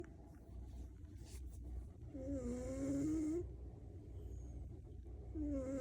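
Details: Maine Coon cat. A Maine Coon cat snores in its sleep, each breath a low, rasping rumble. Some breaths carry a high, wavering whistle that slides up and down, as if through the nose.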